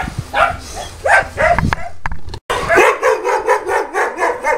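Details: Boerboels at Delatro Boerboels kennel, visited 30 October 2013, giving a few separate barks, a brief break, then a fast, steady run of rhythmic barking, with people talking nearby.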